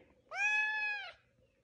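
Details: Foster kitten never before left alone, crying while its littermates are away at the vet: one clear, steady, drawn-out meow lasting about a second, rich in harmonics, in a quiet room.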